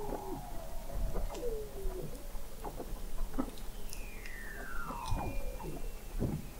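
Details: Under the sea ice of McMurdo Sound, Antarctica, in November 2017, Weddell seals sing beneath a fixed observatory 21 m deep: low wavering tones, pulses, then a long whistle gliding smoothly downward amid faint overlapping calls.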